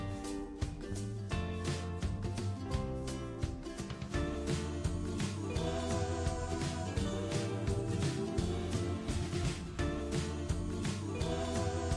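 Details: Upbeat instrumental music with a steady beat plays throughout.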